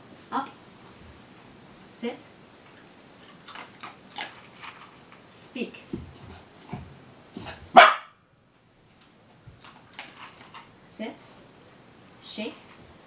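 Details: Meagle puppy, a Miniature Pinscher and Beagle mix, doing tricks indoors and barking when told to speak; one sharp loud bark near the eighth second among a woman's spoken commands and soft thumps.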